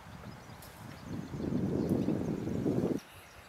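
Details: Red deer (Cervus elaphus) stag, exhausted after losing rut fights, at a river where it went to drink and rest, gives a single deep, hoarse roar lasting about two seconds that ends abruptly, over a faint outdoor rumble.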